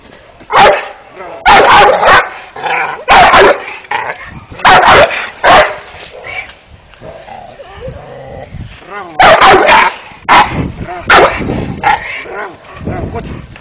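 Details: Five-month-old Dogo Canario Malt barks in clusters of sharp, forceful woofs and yips, with a quieter pause midway and a human voice faintly heard in the background.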